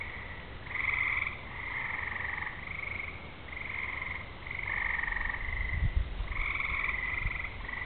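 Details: Summer evening frog chorus as rain comes on, fireflies flashing, thunder far away: continuous overlapping buzzy trills in two bands, ebbing and swelling, with a few low thumps and rumbles near the end.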